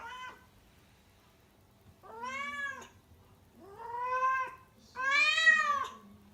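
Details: Kuro, a rescued house cat in her first heat awaiting spaying in Tendō, Yamagata, calling all day: a brief cry followed by three long wailing yowls about every one and a half seconds, each arching in pitch, in a quiet room.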